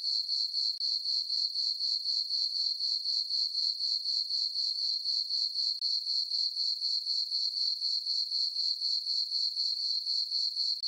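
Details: Summer night on a farm, crickets in a moonlit meadow keeping up a continuous shrill chirp, pulses arriving roughly four per second in an even rhythm, nothing else audible.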